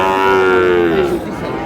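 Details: Sahiwal bull calves at a livestock market on 19 May, being bought by a farmer from Dhaka: one loud, drawn-out tonal moo lasting about a second, slowly sliding lower in pitch, then fading into market background noise.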